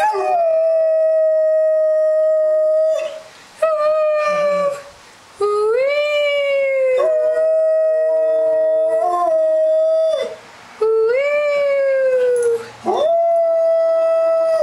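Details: Doberman with a changing voice howling in response to sirens: long steady tonal howls broken by short gaps, several rising and sliding notes, some with a second overlapping tone, continuing for about fifteen seconds.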